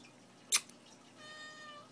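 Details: Pet cat named Pumpkin, said to be stalking, gives one drawn-out, harmonically rich meow that sags slightly at its end, following a sharp click in a quiet indoor room.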